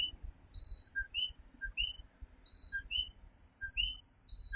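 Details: Coquí tree frogs calling at night in Fajardo, Puerto Rico: a chorus of two-note co-qui calls, each a short low note jumping to a higher rising whistle, overlapping from several frogs, with faint low rumble underneath.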